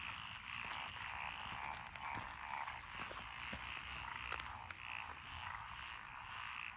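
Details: Lotus paddy frogs along a country lane in Echizen, Fukui, Japan, June 2021, several species together; thick rattling chorus with sharp clicking croaks scattered across it and repeated higher chirps.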